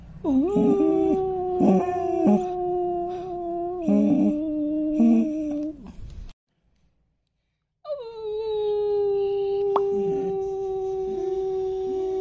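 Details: Five-month-old long-coat German Shepherd puppy howling: long, steady mid-pitched wails with rich overtones, some wavering and breaking, with a brief silent pause midway before a final sustained howl.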